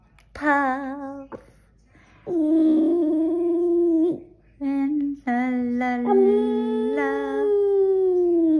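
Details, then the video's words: Skipper, a Boston Terrier, sings indoors right after waking from sleep: long, sustained, tuneful howled notes that hold steady, break off, then resume at slightly shifting pitches, with short gaps between phrases in a small room. "Skipper the Boston Terrier goes from sleeping to singing!"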